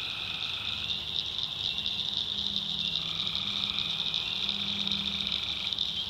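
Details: Night chorus of tree frogs in North Carolina backwoods swamp, a steady shrill pulsing drone overlaid by several longer trills at lower pitch that start and stop, plus a faint low buzzing undertone.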